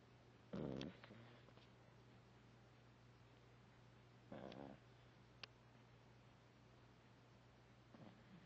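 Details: Vizsla puppy resting after a big play session indoors, snoring softly in two low, fluttering breaths about four seconds apart, with a steady low hum in the room.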